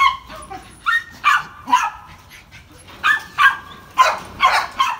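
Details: Rough Collie, a male dog up for adoption, recorded 10 April 2018; short sharp barks and yips with bright harmonic ring, given in pairs and small bursts, about ten over five seconds, separated by quiet gaps.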